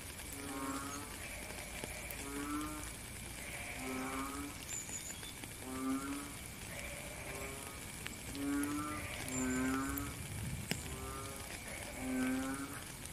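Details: Frogs calling in the rain: low, nasal, harmonic-rich croaks, each about half a second long, come in pairs and groups roughly every one to two seconds over a steady hiss of rainfall.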